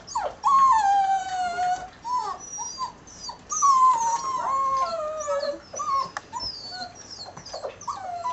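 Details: Six-week-old mixed-breed puppies, American Staffordshire terrier father and Border collie/German shorthaired pointer mother, several calling at once with long sliding whines, high squeaks and yips overlapping through the recording.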